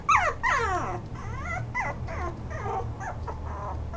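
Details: Toy poodle whimpering indoors: a quick run of high, harmonic whines, each sliding steeply downward, the first two loudest, then softer falling cries at a rapid, uneven pace, with a low steady hum underneath.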